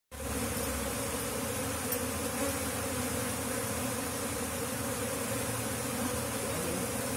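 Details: Swarm of Asian honey bees (Apis cerana), locally called lebah kampung, flying into a nesting box during a colony relocation; dense, steady droning hum with strong low tones, unbroken throughout.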